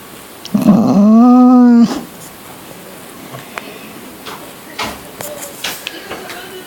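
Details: Pet dog named Rocky giving one drawn-out, tonal, moaning whine of just over a second that slides slightly upward, followed by quiet room noise with a few faint clicks and knocks.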